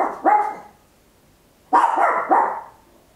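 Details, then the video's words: Small Papillon dog barking loudly indoors at home, captured in stereo with an Olympus LS-11: a short bark, a pause of over a second, then a quick pair of harsh, ringing barks. "Tiny Dog Barking Very Loud, Papillon"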